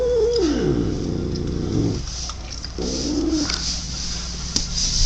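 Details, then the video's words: Pet cat making a weird noise indoors: a drawn-out moaning call that starts high and slides downward over about two seconds, then a shorter arched call, over a steady low mechanical hum from the camera. "Cat makes weird noise?"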